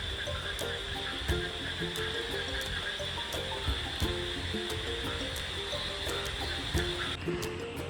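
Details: Frogs calling at night from forest in Jaipur, near Bishnupur, during heavy rain, heard from a hotel balcony: short repeated tonal croaks in uneven series, over a steady high cricket trill and rain hiss.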